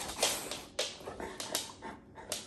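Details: An Alaskan Malamute, asked if he wants to go to the farmer's market, answers in short, breathy whimpering 'talk', a string of rising and falling vocal bursts.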